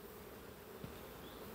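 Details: Soft, steady hum of many honey bees at an apiary in France, flying fast in and out of their hives; the colonies include a swarm made in early May, now producing on sunflower after the forest honey flow.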